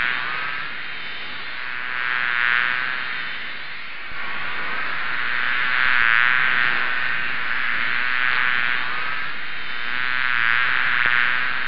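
A swarm of honey bees makes a dense, droning buzz that swells and fades in waves.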